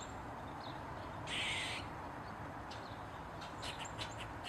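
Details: Eastern gray squirrel, Sciurus carolinensis, barking and squeaking loudly while perched on a mushroom and wagging its tail. One harsh, broad, half-second squeal stands out among faint, quick clicking chucks in the background.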